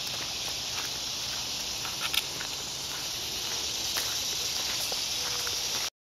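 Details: Woodland cicadas heard on a walk with Lulu, a continuous shrill buzzing wash that holds level throughout, broken only by light footfalls and brief clicks before it cuts off at the end.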